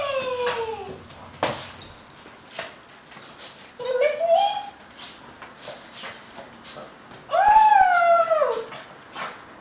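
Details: A papillon and a shih tzu at home excitedly welcome their owner back from a trip with long, wavering, high whines that slide downward. Three drawn-out cries are separated by short pauses, with soft human talk in between.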